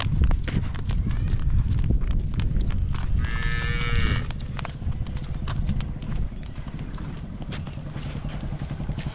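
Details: Five-month-old Hallikar calf at play, letting out a single short, tonal moo lasting about a second, over steady low rumble and scattered clattering knocks.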